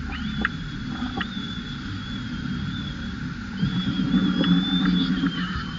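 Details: Crying of an upset baby macaque throwing a tantrum and jumping: a high, sustained whining wail that rises quickly, wavers, pauses, then starts again, over a low rumble and a few knocks.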